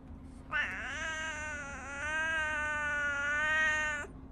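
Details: Pet tabby cat Riri at home greeting its owner in the morning, 'talking': one long drawn-out meow lasting over three seconds, steady and richly harmonic with a slight rise midway, then a soft voice speaking nearby.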